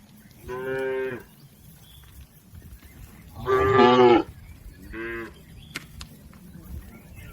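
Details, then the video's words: Tame village cattle from a healthy herd grazing in a green field: three moos, the middle one louder and longer, each a rich harmonic lowing under a second long, separated by quiet pauses with faint rural background. "Suara sapi Moo"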